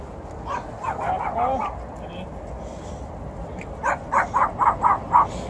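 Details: One of three small dogs yaps while meeting an Alaskan Malamute and a Golden Retriever. Soft whiny, mixed sounds early on give way to a quick run of five sharp, high yaps near the end.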